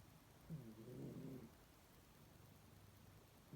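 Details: A single low, raspy snore of about one second from a sleeping pet cat, followed by quiet breathing and the start of another snore.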